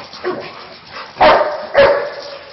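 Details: Dog barking: two sharp, loud barks about half a second apart, each a broad burst of sound, with quieter background noise between them.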